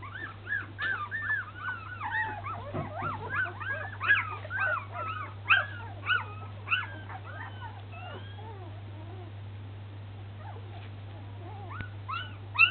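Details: Young Samoyed puppies learning to walk, toddling about; a busy stretch of thin, arched whimpers and short yips for about seven seconds, then only scattered squeaks before a final yelp, with a constant low hum beneath.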